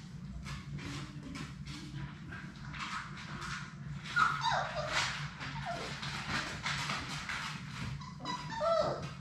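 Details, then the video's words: Labrador Retriever puppies, a litter of six with their mother Sadie, at play in their puppy play room. Short high whimpers and squeaky yelps come midway and near the end over constant scratching, clattering paws and a steady low hum. "Labrador puppies at play!"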